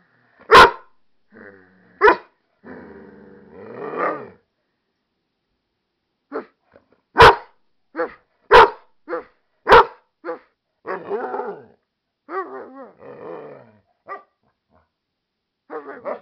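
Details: An American Staffordshire Terrier and pit bull mix named Wolf barks back to its owner: sharp loud barks scattered over the stretch, mixed with wavering, whiny howl-like groans and grumbling vocal sounds between them.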